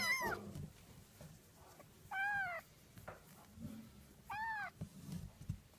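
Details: Three-week-old Oriental Shorthair kittens give high, thin meows that arch up and down, repeated every two seconds.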